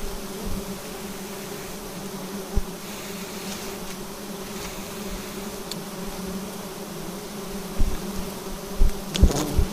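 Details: Honey harvest from a bee nest clinging to a vertical tree; a steady, low, two-toned hum of many bees runs throughout, with scattered taps and a cluster of louder knocks near the end.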